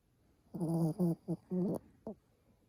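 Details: Heavy snoring from a Pomeranian: four harmonic, nasal rasps in quick succession, each under half a second, then one short final snort.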